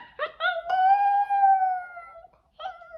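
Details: A full-grown Pomsky makes weird vocal noises while biting indoors. Two short yelping notes break into a long, even, tonal howl that slowly sinks in pitch over about one and a half seconds, then a brief fresh whimper starts.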